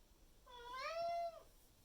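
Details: Miku, a pet Maine Coon, calls loudly to her owner in the morning to demand food and water, May 2021; one drawn-out meow rising then holding steady before dropping at the end, indoors in a quiet room.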